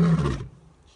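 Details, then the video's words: A full-maned lion about 30 metres away gives a deep, powerful, intense roar that cuts off abruptly, leaving near silence. "EPIC full maned lion's very intense roars"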